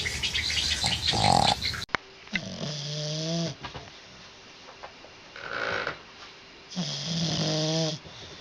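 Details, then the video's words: Dog snoring loudly in its sleep: two drawn-out, whistling, tonal snores with a wavering pitch, about four seconds apart, separated by a softer noisy breath, after a brief louder rustle at the start. "Funny dog snoring loud when sleeping"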